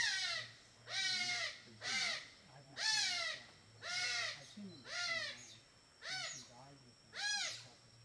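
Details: A playful group of smooth-coated otters in a Borneo river, eating fish for dinner, give harsh, squealing calls about once a second over a low motor hum.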